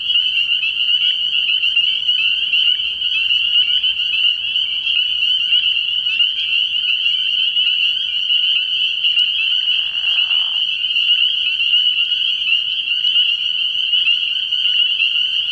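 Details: Spring peepers in full nocturnal chorus at a frog pond early in the year: a continuous piercing ring of overlapping rising peeps, briefly underlaid by a lower rasping sound around ten seconds in.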